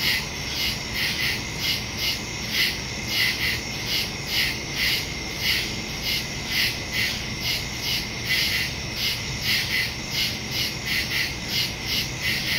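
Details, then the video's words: Night woodland crickets recorded September 2, 2023 on a Samsung Galaxy S22 Ultra with a Shure MV88+ stereo mic; a continuous high, pulsing chorus of chirps, several callers overlapping in a steady rhythmic shimmer. "Crickets in the woods at night"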